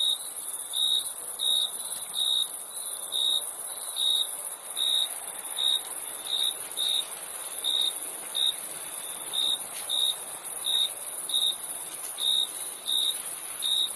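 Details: Crickets keep up a run of quick, high, tonal chirps, slightly uneven in spacing at under a second apart, layered over a constant shrill high-pitched buzz.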